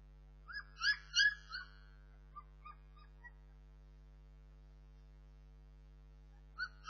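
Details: A short run of high, wavering whimpers from Bernese Mountain Dog puppies, then a few faint squeaks and near silence, before a final whine returns at the very end; a low hum runs throughout.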